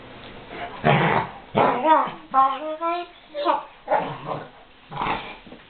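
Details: Two female Weimaraners, Ayva and Fleur, playing together in their own special way; harmonic whining yowls and growly grumbles come in bursts about every second, with a person's voice mixed in.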